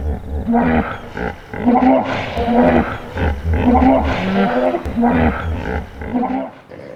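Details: A hippopotamus in its natural habitat in Africa gives a rhythmic run of deep, pulsing honks and grunts, repeated about every second.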